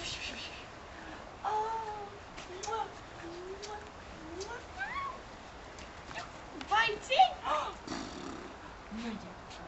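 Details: Puppies six and a half weeks old whimper and squeak in short, thin whines that slide up and down, scattered irregularly through the recording, with soft tapping and rustling between them.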